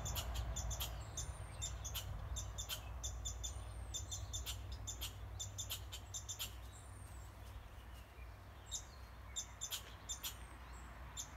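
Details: Red squirrel barking: sharp, clicky chucks repeated in uneven bursts, roughly three per second, over a steady low rumble, with thin high chirps from birds in the background.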